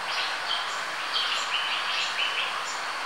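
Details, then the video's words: Captive Asian small-clawed otter cub with its parents at the Denver Zoo gives thin, high squeaky chirps in short repeated bursts over a steady background hiss. "Small squeaky otter"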